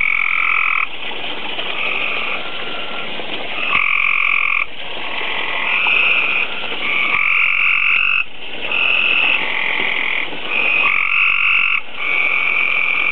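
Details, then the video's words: Tree frogs breeding at a backyard koi tank, laying tadpoles daily: a dense, continuous chorus of rapid trilling croaks in two steady pitch bands, swelling and briefly dipping every few seconds, with no other clear sounds. "tree frogs croaking"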